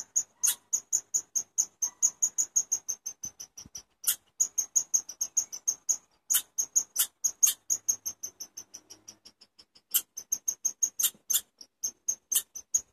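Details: Rapid run of high, clipped chirps from a chipmunk, delivered in even bursts of several notes per second, briefly pausing then resuming; background otherwise quiet.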